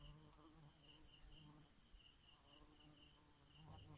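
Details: A bee at night gives a low, steady droning buzz with layered overtones. A thin high whistle sounds twice, and faint pulsing chirps, probably crickets, repeat in the background.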